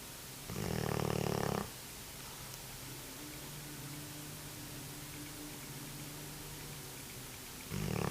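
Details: Cane Corso snoring in its sleep: a loud, rough, rattling inhale of about a second, then a long quiet pause with a faint steady hum, before the next snore begins.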